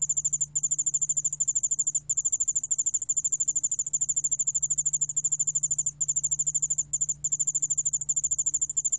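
A cricket gives a high, rapidly pulsed trill that runs almost without a break.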